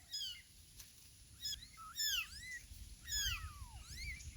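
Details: Little kittens meowing: a few high, thin mews with rising-then-falling arcs, some overlapping, spaced about a second apart over a low rumbling background hiss.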